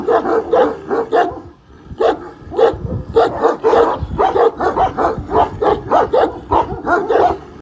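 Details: Young Kangal, one year old, facing up to a huge dog, barking hard and fast, short gruff barks in quick uneven bursts of two to four, nearly two per second, after a brief pause early on.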